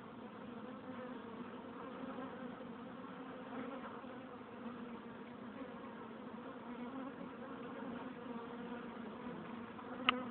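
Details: Honey bees at a hive entrance, a dense steady buzzing drone of many insects with a low hum band and layered overtones, holding even throughout, a brief sharp click near the end.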